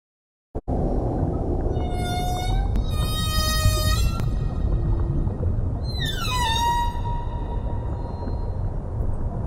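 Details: Humpback whales at the Silver Banks, where about 3,000 pass each year between December and April, singing underwater: long tonal moans rich in harmonics, a sustained high note, then a sweeping descending wail, over a constant low rumble of sea noise.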